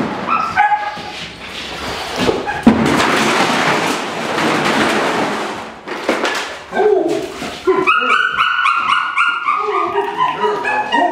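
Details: Loud, rapid barks from a female Dutch Shepherd in Topeka, Kansas, a dog said to be very reckless in prey pursuit, broken by a long burst of harsh broadband noise before the barking resumes in quick repeated volleys.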